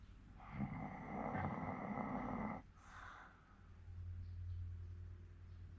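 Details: A 14-year-old Hokkaido dog in Sapporo snoring in its sleep: rough, pulsing low rumbles for about two seconds, then a brief snort, followed by a softer, steady low breathing drone.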